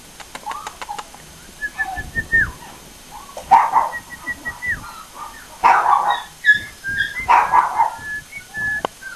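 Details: American Cocker Spaniel puppies at a breeding kennel in Aquitaine, France, giving high, thin whines and short yelping barks in bursts, while a person repeatedly calls out a cheerful greeting nearby.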